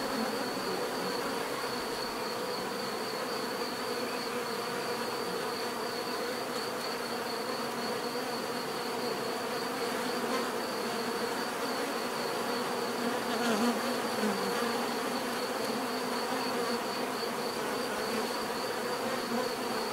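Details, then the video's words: Bees droning together in a thick, constant low buzz for twenty seconds, a nearer individual swelling briefly around fourteen seconds, with a soft, rhythmically pulsing high tone underneath. "bees therapy relaxing natural buzzing sound"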